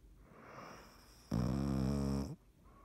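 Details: Dottie, a cat, snoring while asleep, recorded March 17, 2019: soft breathing noise, then one loud, low, rasping buzzy snore lasting about a second, followed by quiet breathing again.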